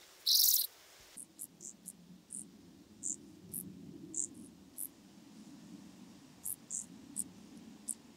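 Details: At Mörnsheim, Germany, on 14 July 2023, a blue band-winged grasshopper opens with one loud, hissing high burst, followed by many faint, brief ticking chirps scattered across the remaining seconds over low background rumble.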